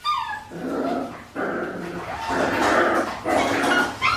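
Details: Five-week-old Australian Shepherd puppies from Priscilla's litter at an Oklahoma breeding farm, giving overlapping high whines and yips with clear harmonic tones, several cries in quick succession with short pauses between bursts.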